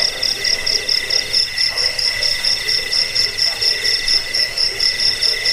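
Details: Cricket chirping, offered as a sound to repel rats, lull people to sleep and train songbirds; shrill, high pulsed trill in steady bursts about twice a second, with a fainter lower band underneath and no other clear sounds.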